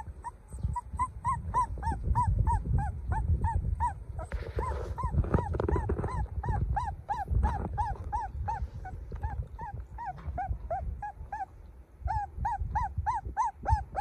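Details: Puppy cry, golden baby dog: fast, regular run of high arched whines, briefly blurred by a burst of rustling noise midway, then clearer and louder again at the close; constant low hum beneath.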